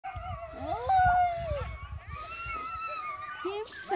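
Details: Greenland Dog puppies at their first encounter with puppies other than Siumut, dated 5/6/17: thin, high whines slide and waver, some long and drawn out, overlapping one another, with faint low rumbling beneath.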